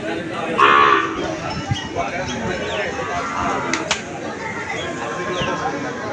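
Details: Cattle and calves at the Aricha cattle market. A loud moo comes near the start, then busy market noise follows, with voices, chatter and clattering sounds.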